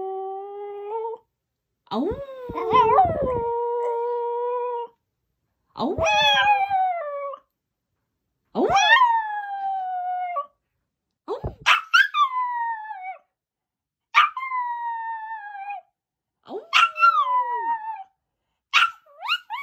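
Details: White male Pomeranian named Hong seol, born January 2016, startled by its owner's dog-like noises; seven drawn-out tonal howls, some sliding up then holding steady, others falling, each lasting one to two seconds with brief silent gaps.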